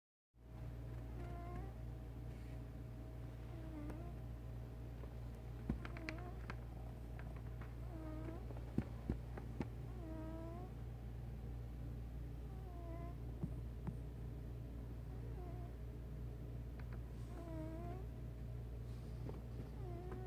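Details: Male house cat aged one year eight months, snoring while asleep indoors: soft whistled nasal tones that rise and fall, repeating about every two to two and a half seconds, over a steady low hum.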